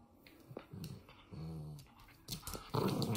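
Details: Monkey the Toy Fox Terrier growls during play indoors: short low rumbles and a steady held growl near the middle, ending in a louder, rougher growl with handling noise.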